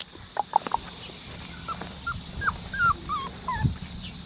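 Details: Blue-eyed black tri male Australian Shepherd puppy at a licensed breeding farm in Oklahoma; a series of short, thin whimpering yips, each briefly rising then falling, about eight in four seconds, with a person speaking softly at the start.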